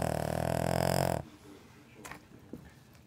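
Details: Pet dog snoring very loudly: one long, rough, rattling drawn breath lasting over a second, rich in buzzing overtones, then quiet with a few faint clicks and rustles.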